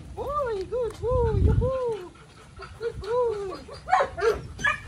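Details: Psycho, a Belgian Malinois, whining in a string of arched, tonal yelps that rise and fall, with several bright harmonics. A brief gap falls midway before more whines and a few sharper bursts near the end.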